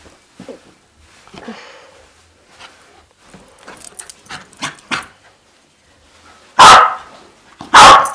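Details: Three-year-old Sealyham Terrier, originally from a puppy mill, that goes crazy chasing tennis balls; soft scuffles and small yips lead up to two loud, sharp barks about a second apart near the end.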